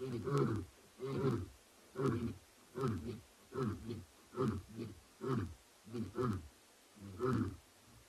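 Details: Grunting end of a roar from two male lions at andBeyond Ngala Private Game Reserve after sunset on 09 September 2021. Low, hoarse grunts are repeated about ten times, slightly more than one per second, and fade over a faint hiss.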